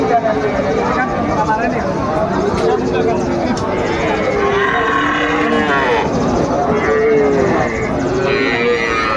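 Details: Sahiwal cattle, bull calves at a cattle market in Mymensingh, Bangladesh, on 30 May 2024. Several drawn-out, low, tonal moos overlap one another amid a constant crowd of bargaining voices and market bustle.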